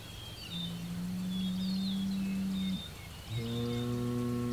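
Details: Hereford bull Homebrew, June 17, 2023, facing a rival Hereford bull across the road and an Angus bull within 100 yards. Two long, low, steady bellows: the first held about two seconds, the second starting after a short pause. Birds chirp faintly above.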